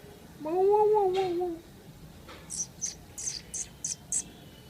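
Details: Cat making funny sounds while drinking milk: one wavering, drawn-out nasal call at the start, followed by a series of short high clicks or smacks.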